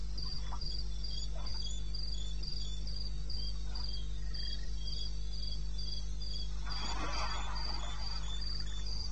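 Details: Nighttime cricket in eastern Botswana wilderness, 02:30 on 21 May 2016: regular high-pitched pulses run throughout, with a brief rustling burst near the end and a persistent low drone beneath.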